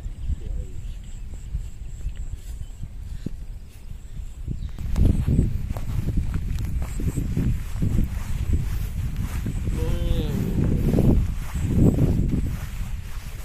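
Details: Hundreds of tame herded cattle heading home to their pen, crossing a small bridge. Deep, rough moos swell around five seconds and again near eleven to twelve seconds over steady trampling hooves, a brief higher call near ten seconds, faint insect buzz.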